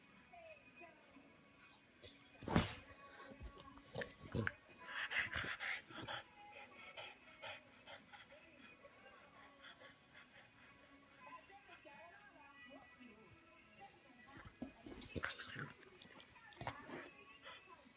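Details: A French Bulldog playing, later hit in the face by a toy, gives short snorting grunts and soft whimpers in bursts, with faint music and voices behind.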